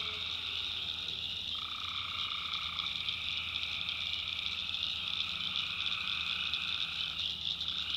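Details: Many tree frogs call through the night in a North Carolina swamp, making a constant bright trill. A louder mid-pitched caller joins for about a second and a half, then the chorus carries on evenly.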